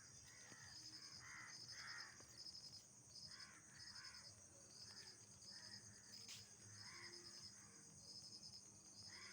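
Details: Insects heard at night, keeping up a continuous high-pitched whine with short trains of sharp pulsed chirps every second or so. Lower hoarse call bursts rise and fade between the chirps.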